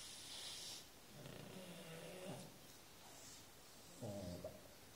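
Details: Sleeping female Shar Pei named Laika, five years old, snoring at home: two low, buzzy, rattling snores a few seconds apart, preceded by a hissing breath, in a quiet room.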